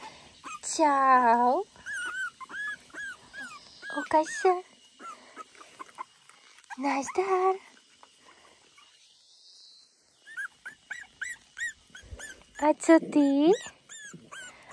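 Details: Papillon puppies, four weeks old, from one litter: high, arching whimpers and squeals in short bursts of a second or so, separated by pauses, with a person talking softly between them.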